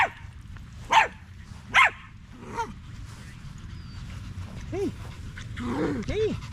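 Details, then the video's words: Male Staffordshire Bull Terriers gathered in a park during a long evening: two sharp barks early on, then a quieter bark and several arching whines and yelps toward the end over low background noise. "Long evening at the park male wolf pack chat"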